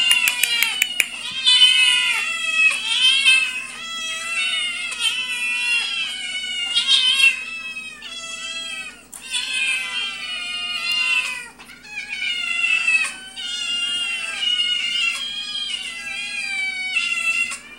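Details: Domestic cat family, father Orion, mother Princess and their kittens, 'singing' indoors: many high, overlapping mews and wavering cries pile up in dense, continuous bursts with brief pauses, with a faint steady hum behind.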